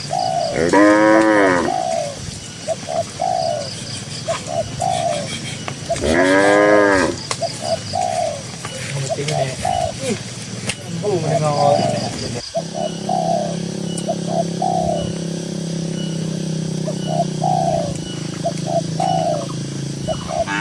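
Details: Grazing cattle in a green countryside pasture give three moos spaced several seconds apart, the last one fainter. Between them a dove-like bird coos steadily in short repeated notes, with a low hum underneath.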